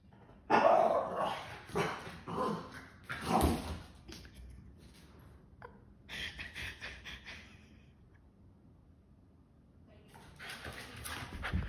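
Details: Boston Terrier letting out a series of rough, uneven barks in the first few seconds, then scattered softer yips and a long quiet stretch, ending with a noisier burst of sound.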